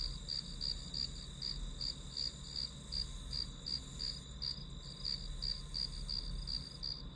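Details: Grass insect sounds as white noise for a study session, with high pulsed chirps close to three per second layered on a continuous ringing note, gently waxing and waning in loudness.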